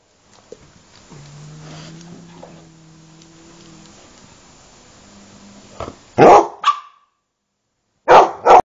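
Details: Boarding dogs at a kennel in Jerusalem, Israel, during their owners' holiday. A quiet stretch with a faint steady hum gives way to several abrupt, harsh barks near the end, the last two close together.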